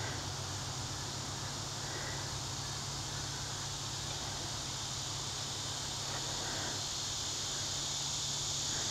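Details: A dense, steady chorus of crickets fills hot, humid midsummer evening air beside thick forest in Crossville, Tennessee, July 2015, with a high, shimmering trill over a low hum.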